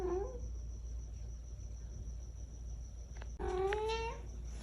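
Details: Cash, a talkative pet cat, gives a brief chirped meow at the start, then after a long quiet pause one longer, slightly rising harmonic meow, with a steady high-pitched hum throughout.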